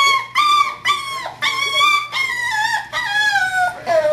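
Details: A five-week-old puppy howls and whines in a series of drawn-out, wavering high cries, about seven in four seconds, each with a rich ladder of overtones, some sliding downward at the end; a steady low hum runs beneath.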